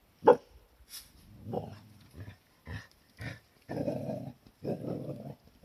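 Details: Cardigan Welsh Corgi at home in a small garden dog run, recorded 11 January 2021: one sharp loud bark opens, followed by several bursts of low, rumbling growl-like grumbles with short pauses between them.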